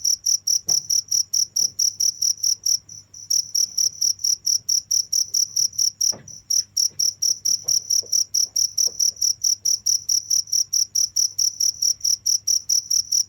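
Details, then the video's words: Continuous cricket chirping, a high pure tone pulsed roughly twice per second, with two short gaps where the chirps briefly stop, plus faint low hum and a few soft clicks beneath. "the sound of crickets"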